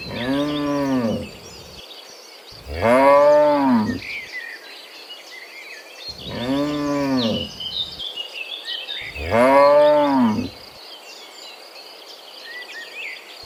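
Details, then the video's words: Cows heading from the field back to the pen in the morning, mooing repeatedly: four arched, harmonic moos roughly every three seconds, each about a second and a half long, over steady birdsong in the background. "Sound of Moo Cows in the Morning, Returning from the Field to the Pen, Sound of Cows"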